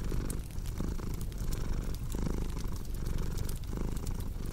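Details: Cat purring steadily in a low rumbling drone that swells and fades with each breath, about every second and a half, mixed with a crackling fireplace whose sharp pops and snaps scatter throughout, set as a relaxing sleep soundscape.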